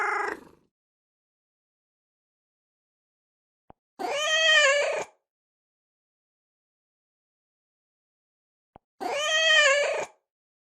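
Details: Domestic cat meowing at intervals of about five seconds: short, bright, wavering meows, each preceded by a small click, with silence between.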